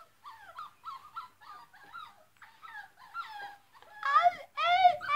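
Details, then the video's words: Dogs barking loudly, heard as a run of short, high, harmonic yips with a falling inflection, about every half second, growing louder and sharper toward the end. "They are very barking loud"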